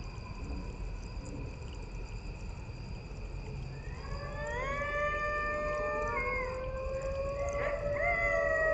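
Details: A coyote pack howling at night near woods and a creek below the North Georgia Mountains, northwest of Atlanta: after four quiet seconds, several long sliding wails rise and overlap, with steady insect tones humming throughout.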